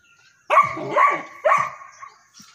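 A St. Bernard puppy gives three quick, hoarse barks in a row.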